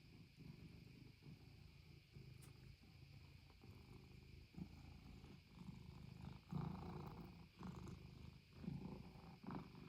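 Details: Norwegian Forest Cat purring on 6 May 2025, a soft, low rumbling purr in steady pulses, quiet and close, with faint rustling.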